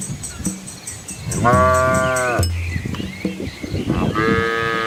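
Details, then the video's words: Village cattle and calves moving along a country road in Asia past rice fields; two drawn-out moos, the first long and steady for about a second, the second starting near the end, over a low steady drone. "Cow Sounds"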